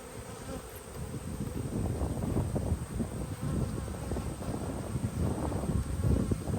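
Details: Honey bees in an open hive during a hive inspection on 19 March 2022, half golden and half dark bees bringing in nectar; dense low buzzing with crackling rustles of frames being handled, swelling and fading throughout.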